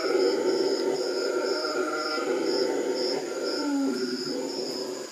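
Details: Continuous low, droning roar of howler monkeys calling to each other in Manu at the Manu Learning Centre, with a rhythmic buzzing insect chorus pulsing high above throughout.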